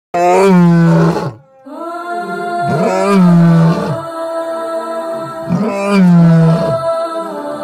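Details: A lion gives deep, groaning calls rich in overtones, repeated roughly every two and a half seconds.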